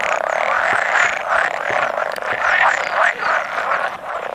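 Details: About a hundred male pool frogs calling together at spawning, 16 May 2017, occasional edible frog among them; thick wall of nasal, rattling croaks, with brief louder bursts rising above the steady chorus.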